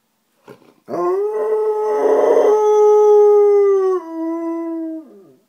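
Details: Alaskan Malamute male talking back in the morning to a neighbour's female dog whining through an open window; a long, steady, tuneful howl-like vocalisation that holds its pitch for about three seconds, then drops lower and fades, after a short yip at the start.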